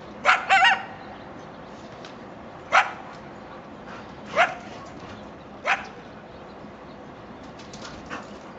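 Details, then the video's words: A coyote family near a home by railroad tracks in Chatsworth, California, at about 7am on 13 October 2024, gives a quick double bark, then single sharp yips spaced a few seconds apart, one sliding up into a brief whine. "coyotes in Chatsworth California"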